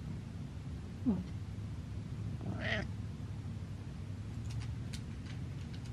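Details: A staring cat named Butters gives a short chirp-like squeak, then a fuller drawn-out meow about a second and a half later, set against a low constant hum and scattered soft clicks.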